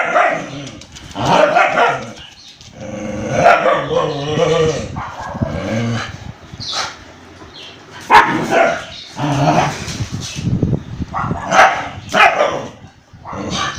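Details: An Indian breed attacking a German Shepherd dog: loud, repeated, throaty barks and rasping growls come in rapid clusters throughout, with overlapping snarls in the heat of the fight.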